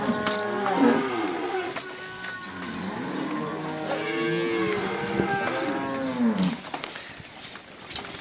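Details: Mixed Inverland and La Florida cows in March 2014, some in good condition and one thin cow with a calf. Several overlapping moos of varying pitch come from more than one animal, with bending, wavering tones and a man speaking between them.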